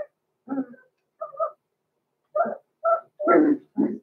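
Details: Six-week-old blenheim Cavalier King Charles Spaniel puppies, Roman and Blue, born November 14, 2022, in an indoor puppy pen, giving short whining yips in separate bursts about every half second to second, some rising, others rougher and broken.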